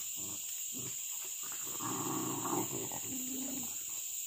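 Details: Pack of village dogs hunting monkeys, a crop pest, in trees and along a riverbank near fruit gardens; rough overlapping barks and growly yaps in quick irregular bursts, with a steady high insect drone throughout.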